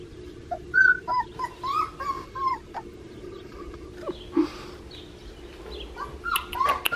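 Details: Whining from a male blue merle Australian Shepherd puppy, bred at Fifteen Acre Farms in Oklahoma: short, wavering, slightly rising whimpers in uneven bursts, with a soft low hum behind.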